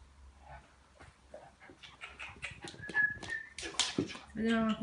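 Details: Chocolate Labrador Retriever at play during sound desensitization training, giving a thin whistled whine and then a harsher yelping whimper at the end, with talking and background noise throughout.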